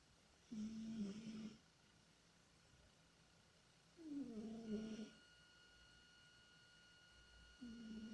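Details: Tihon, a domestic cat, asleep and dreaming, snores in soft drawn-out breaths about every three to four seconds, each a low droning buzz with faint hiss above, separated by quiet pauses in a still indoor room.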